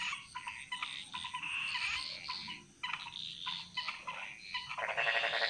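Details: Several frogs calling together in a Bali jungle: choppy pulsed croaks tumble over one another at an irregular pace, ending in a louder, buzzing rattle, over a faint high whine.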